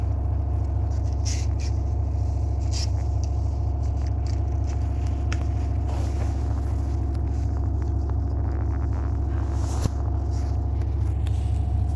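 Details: A steady low mechanical hum with layered harmonic drones, scattered clicks and scrapes, and no animal voice.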